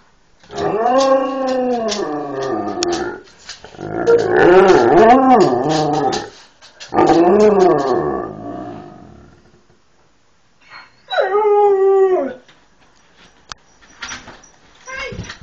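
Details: Huskies and Malamutes lying on a bed indoors, 'talking' to demand their owner get up and feed them: long, loud, wavering woo-woo howls in three extended bouts, then a shorter, falling, yodel-like call and faint whimpers.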